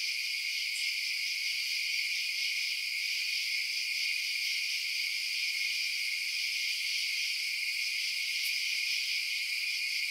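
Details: Crickets chirping through the night, a constant shrill layered trilling at even loudness, broken only by a couple of tiny high clicks, with silence below.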